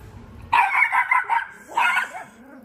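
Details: Dog named Latte barking at a hamster in a pet store, recorded 2024-01-15: two loud harsh barks, the first a longer burst of several pulses, the second a shorter burst about a second later, then quiet.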